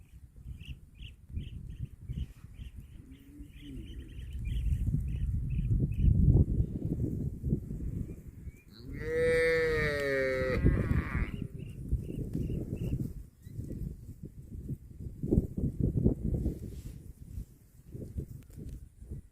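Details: Cattle eating grass: steady crunching and rustling of grazing, broken by one long, harmonic moo that slides downward near the middle; a short series of faint high chirps repeats in the background.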